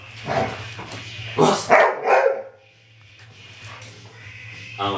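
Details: Dog barking in a few short, harsh bursts after being urged with the Bulgarian command "глас" (speak), with a person talking in Bulgarian before and after and a steady low hum throughout.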